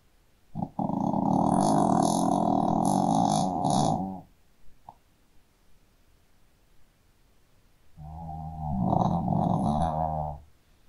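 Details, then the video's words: Loud snoring from a sleeping Shih Tzu: a long rattling snore of over three seconds, a quiet gap, then a second rising, rasping snore. "Hund schnarcht 🐶 Shih Tzu schläft und schnarcht"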